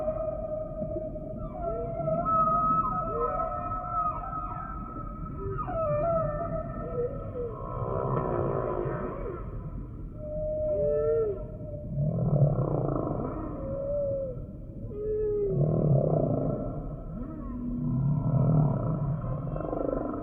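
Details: Humpback whale song: a sequence of drawn-out tonal moans and wavering whistled units, some sliding up and down, layered over low rumbling groans that swell and fade in phrases every few seconds.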